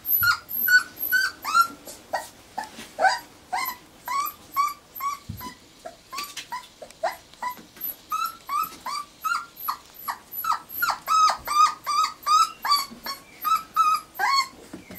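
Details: Steady chorus of whining from four-week-old Irish Terrier pups, 29 January 2011: rapid repeated high squeals and thin rising cries, overlapping from more than one pup, continuing without break.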